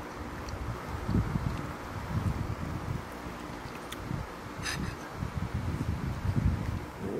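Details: Outdoor wind rumble and rustling leaves fill the recording, with a brief faint click near the middle and no animal voices.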